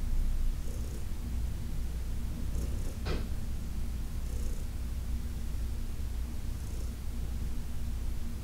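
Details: Deep, even purring from Heidi, an older female cat adopted from the Humane Society of New York City, during a massage session on August 4, 2021, with light stroking rustles and one brief sharp tick.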